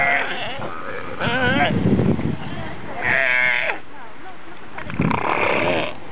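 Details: Galapagos sea lion families in the Galapagos, recorded up close, give wavering, bleat-like calls in roughly half-second bursts with rough growls between; the group is noted to fight.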